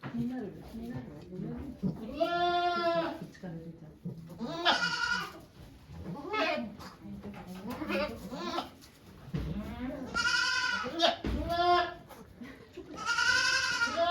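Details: Goat at a Japanese goat farm on 3 May 2023, giving birth to two kids while volunteers watch; loud, wavering harmonic bleats recur four times, each about a second long, with people talking quietly between them.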